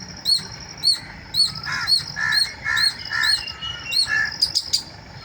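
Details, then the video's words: Squirrel giving squealing calls in the morning, bright high chirps in a steady series of about nine, overlapped midway by lower, hoarse notes, ending with a quick cluster of clicks. "Squirrel Squeal in the wonderful Morning"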